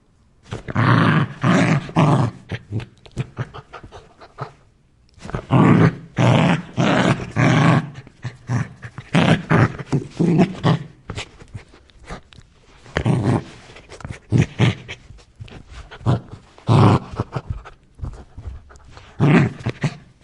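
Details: Aggressive Rottweiler producing harsh, low growl-barks in dense volleys separated by short pauses, some bursts drawn out into rumbling snarls.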